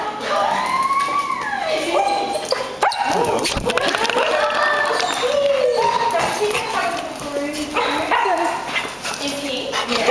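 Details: A black Labrador Retriever being picked up from daycare, always wildly excited then, gives high, wavering whines and short yips that swoop up and down. Human voices talk over much of it, and there is faint clapping.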